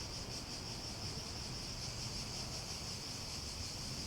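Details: Shrill, high, evenly pulsing cicada drone that holds steady from start to finish, set against a hissy, rumbling background of outdoor noise.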